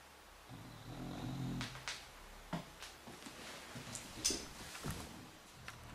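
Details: Flannie, a female English Bulldog, snores while sleeping with low, rumbling breaths broken by sharp snorts and wheezes.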